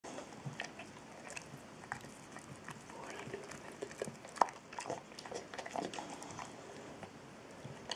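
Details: Trulsa, an eight-year-old Boxer, chewing a dental treat indoors: irregular crunchy clicks and soft wet bites scattered through, with one sharp snap midway.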